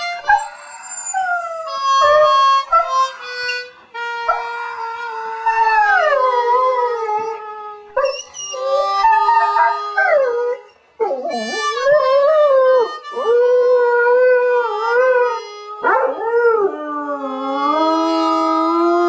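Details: Tippy, the neighbour's dog, who sleeps over on a carport, howls in long wavering, sliding tones that rise and fall, some with quivering pitch, set against steady held musical notes, ending with a final drawn-out flourish.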